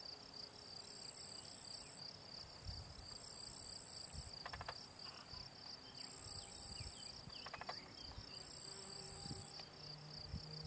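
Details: Field cricket, Gryllus campestris, in the Draga valley ponds of Slovenia in June, giving a continuous high pulsed chirping, with brief trilling sounds from other insects and low rustling in the background.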